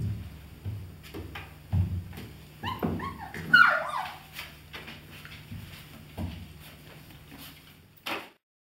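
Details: German Shepherd puppies of the A litter "von der Edermündung", 31 days old: a short burst of high, falling whines and yelps near the middle, set among dull thumps, knocks and clattering handling noises.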